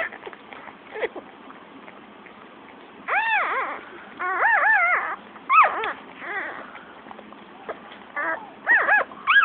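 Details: Shih Tzu puppies a few minutes old squeak and whine in quick, arching bursts, with several high, wavering cries overlapping irregularly against a soft background hiss.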